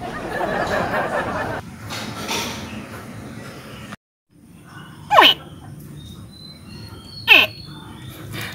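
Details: A pet mini (young) crocodile gives two sharp, frog-like chirps that sweep quickly downward, about two seconds apart; such baby crocodile calls near ditches are often mistaken for frogs, or for a frog caught by a snake.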